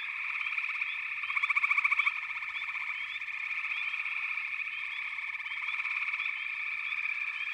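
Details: Many frogs calling together in an unbroken high-pitched drone. Scattered quick upward chirps sit on top, and a loud pulsing rattle swells up between about one and two seconds.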